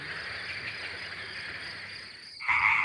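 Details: Male European tree frogs at ponds in northern Isère, France, in mid-April, calling at night in a deafening dense chorus of rapid, harsh, high croaks, competing in sound jousts to be chosen by females.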